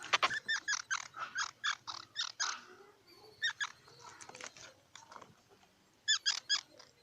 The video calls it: សំលេងដង្ហែន Squirrel 🐿️ Sound